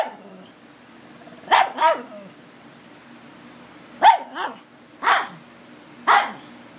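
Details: Frightened pug barking at its new toy raccoon: a quick double bark, a pause of about two seconds, then a run of three single barks about a second apart, over a faint low rumble.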